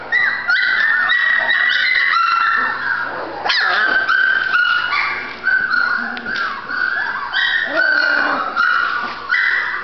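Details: High whimpering from a female Golden Retriever puppy, a long stretch of wavering, nasal whines with a few sharper yips breaking in and only small gaps between calls.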